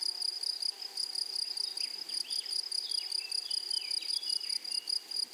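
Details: A steady shrill buzz from grasshoppers in a flowery meadow, finely pulsed and unbroken, with soft sliding chirps from a bird scattered behind it.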